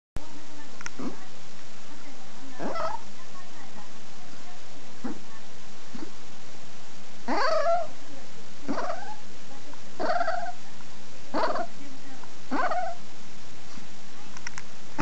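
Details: Pet dog 'talking' with a voice its owner likens to a dolphin's: about a dozen short squeaky, whine-like calls with bending pitch, some rising then falling, spaced one to two seconds apart over a steady low hum.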